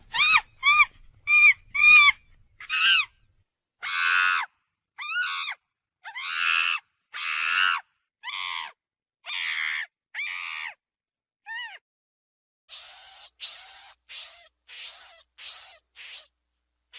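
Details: A monkey gives an unusual, strange call: a series of harsh, shrill screeches in separate bursts about a second apart. Earlier notes are stacked and wavering. Later ones climb higher and sound thinner. Silence falls between the bursts.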